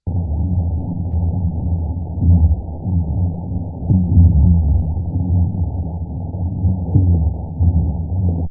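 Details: A giant school of black drum in full-blown spawning chorus, an absolute continuous low booming as many fish call one after the other over one another.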